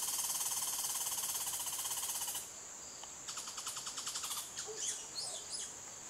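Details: Red squirrels at a nest box holding a mother on high alert and five young: a loud, rapid buzzy chatter for about two seconds, then fainter, thin high squeaks and short pulsed bursts.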